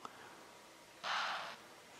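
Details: An impala in the Timbavati gives a single sharp, breathy alarm snort in the morning, warning others as two male lions walk past.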